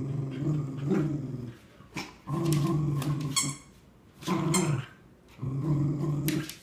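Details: Cardigan Welsh Corgis Scout, about 3 years, and Obi, almost 9 months, play tug-of-war over a new toy, growling in low rumbling bursts of about a second with short pauses between.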